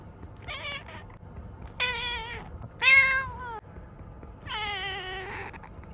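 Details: Ciel, a seven-year-old female black cat kept as a pet in Japan, gives four meows in a quiet room: two short chirpy ones, then a long falling meow, a louder sliding one and a drawn-out wavering cry.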